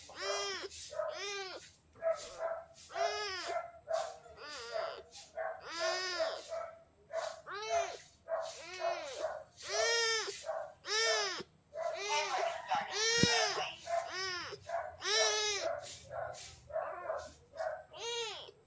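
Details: A little gray kitten asking for love meows insistently and almost without pause, about twenty bright arching meows. Some are short and clipped, others drawn out, with a faint steady hum underneath.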